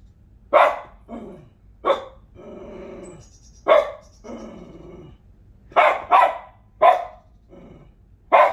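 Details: Indoor female dog getting mad at a squirrel shown on a TV nature program: loud irregular barks mixed with drawn-out growls and whines, a quick double bark near the end, and faint high TV tones in the background.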